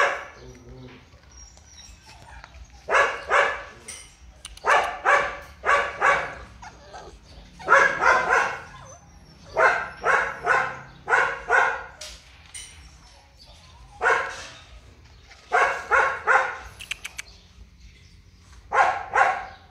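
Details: Purebred large-line Rottweiler barking: loud, deep barks delivered in clusters of two to four, with short pauses between bursts, over a quiet background.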